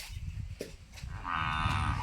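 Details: Cow at Goswami Dairy Farm in Dhanera, offered for sale, lets out a harmonic moo in the second half, a sustained tone following quieter low rumbling and scattered knocks.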